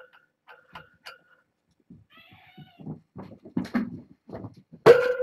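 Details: Litter of kittens, born August 29th to a family pet, noisily insistent on escaping over a fence to explore; faint high harmonic mewing early, then thumps and scuffling, ending in one loud, sharp meow.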